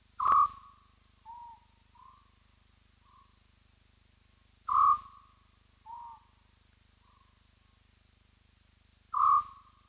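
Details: Spotted hyena whooping at Roy's Dam, picked up by a live wildlife camera: loud clear tonal whoops roughly every four and a half seconds, each followed by fainter, slightly rising notes trailing off about one second apart, over a steady low hum.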